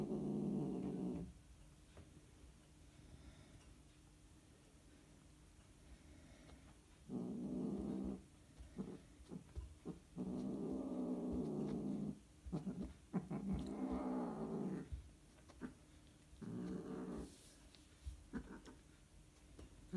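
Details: Scottish Fold cats mating, giving low, harmonic growling yowls in bursts of one to two seconds with quiet gaps between, several drawn-out cries and shorter broken ones, plus faint room noise.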